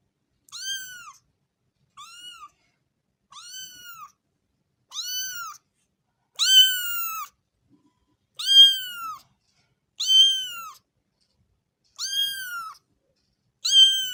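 A kitten meows repeatedly, each high, arched mew lasting about half a second.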